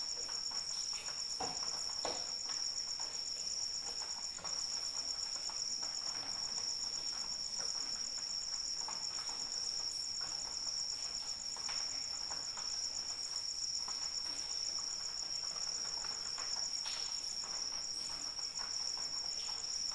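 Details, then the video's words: Crickets chirring through rainfall: an unbroken shrill ringing tone, level for the full stretch, with a beaded pulsing line just above it, while rain patters steadily and heavier drops tap now and then. "Suara Hujan dan Jangkrik Pengantar Tidur"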